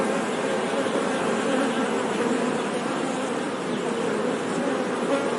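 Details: Brief steady buzzing of honey bees, a dense, low hum with slight swells in loudness and no other clear sounds.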